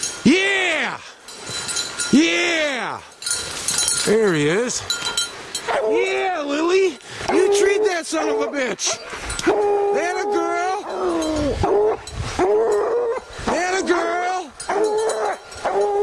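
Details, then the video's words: Hunting dogs baying at the tree, young dogs Lillie and Dynomite with 14-year-old Sadie, treed quarry among tall pines in the evening; repeated arched, chopping barks and drawn-out bawls in quick succession, with people talking and encouraging. "Lillie Treed"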